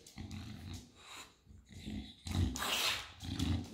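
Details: English Bulldog named Enzo trying to get a bag of mandarins with his paw indoors; low rumbling grunts and snorts in short bursts, with a noisier snuffling burst near the end.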